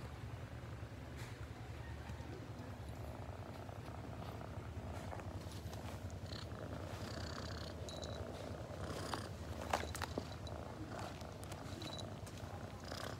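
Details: Domestic cat purring: a steady, low continuous rumble that holds throughout, with scattered soft clicks and brief higher rustles above it.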